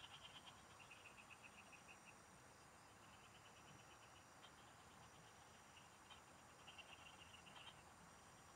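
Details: Frogs chorusing in the fields, heard while fishing: short trains of quick, high-pitched pulsed notes repeat every second or two from overlapping callers, with a constant thin insect drone above and soft background noise.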